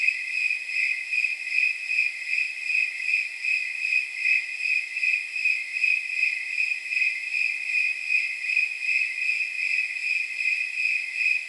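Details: Snowy tree cricket at night, temperature near 79 degrees, giving a long unbroken series of regular, high, ringing chirps, about 158 a minute, gently pulsing in loudness with nothing else audible.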